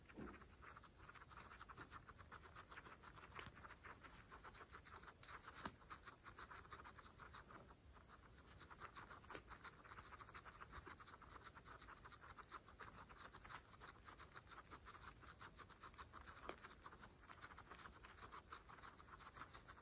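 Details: Fresh grass being eaten by pregnant female guinea pigs in an ASMR feeding session; continuous busy crunching and rustling bites throughout, occasionally punctuated by sharper louder snaps.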